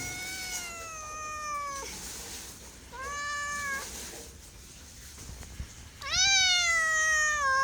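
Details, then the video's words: Pet cat meowing three times: a long falling meow, a shorter level one after a gap, then a loud rising-and-falling cry with rich overtones. "MEOWING MEOWING - CAT CUTES - CAT FUNNY - SOUND CAT - MEOW CAT 01"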